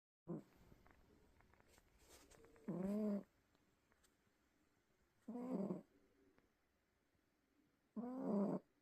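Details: Domestic cat sleeping and snoring loudly: rough, buzzy low snores of under a second each, spaced about two and a half seconds apart, with quiet breathing between them in a still room.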